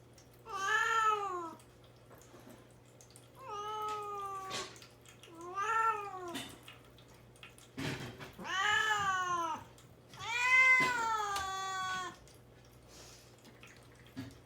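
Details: Mamedaifuku, a young cat shut in a cage and kept without food or water before castration, cries to be let out: six loud, wavering meows in quick succession, some bending upward, over a faint indoor hum.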